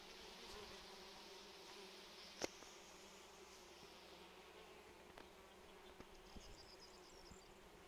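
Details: Bees and other pollinating insects over flowering phacelia in June: an even, low, droning buzz holding steady throughout, with a sharp tap and scattered faint ticks over outdoor hiss.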